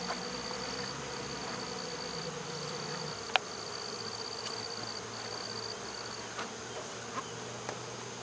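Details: Swarm of honey bees being removed from a local baseball field on 12 August 2014, just settled into a covered box; a steady low droning hum with scattered sharp clicks and an intermittent thin high tone.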